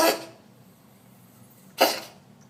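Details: Domestic cat coughing: two short, harsh, breathy bursts about 1.8 seconds apart, with near silence between them, indoors.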